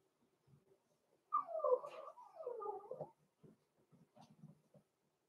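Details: Blenheim Cavalier King Charles Spaniel puppy, six weeks old, from a litter including Roman and Blue, indoors in a home puppy pen: a two-part drawn-out crying whine, each part sliding downward, followed by soft scuffling and small squeaks.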